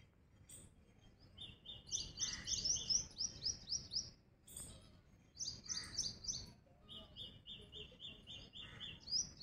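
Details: Squirrel calling with runs of shrill, clipped chirps repeated quickly in two- to three-second bouts separated by short silences; faint low rumble beneath.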